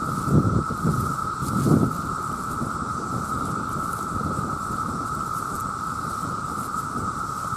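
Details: A massed chorus of male cicadas calling to attract mates: a steady, unbroken droning whine at one pitch, with low rumbling wind or handling bursts near the start.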